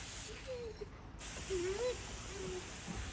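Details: Large dog being groomed outdoors on a hot summer day, bathed and brushed, gives soft high whines: three thin, wavering tones, the middle one rising then falling, over faint background hiss, with a brief quiet voice.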